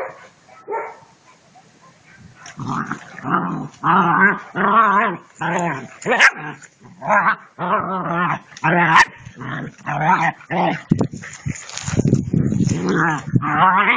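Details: German Shepherd puppies at play give a long series of rough, growly barks and yaps, irregular bursts roughly every half second to a second, intensifying toward the end with a noisy scuffle.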